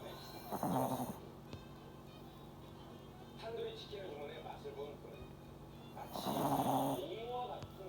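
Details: Sleeping dog snoring: two loud, rasping, buzzy breaths roughly five seconds apart, each lasting about half a second to a second, over a steady low hum with faint murmuring sounds between them.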